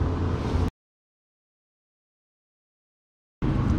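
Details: A short burst of low rumbling noise, then nearly three seconds of total silence, then the rumble returns briefly; no animal voice is heard.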